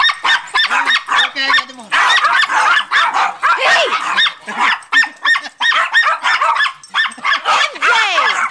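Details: Several pet dogs from a family pack of eight, including MJ, Precious and Angel, chasing a ball together. Dense bursts of high, sharp yelping barks overlap almost without pause, some rising and falling, with people's voices urging them on.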